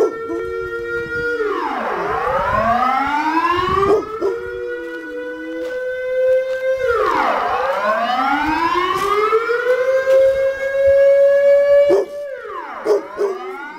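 A Rottweiler 'sings' in long, rich howls that swoop down and then climb slowly to a sustained note.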